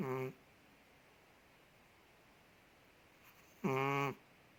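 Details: Ted the big Chihuahua, living in Indonesia, snoring in his sleep: the tail of one resonant, humming snore, then silence, then another full half-second nasal snore with a clear, voice-like tone.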